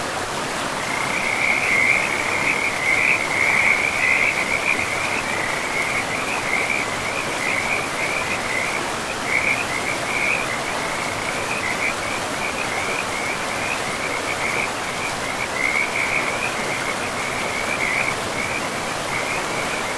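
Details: Frogs calling in a pristine forest beside a river: a rapid, uneven train of short rattling notes, roughly 107 a minute, runs almost throughout at a steady mid-high pitch over a constant rushing wash of river water.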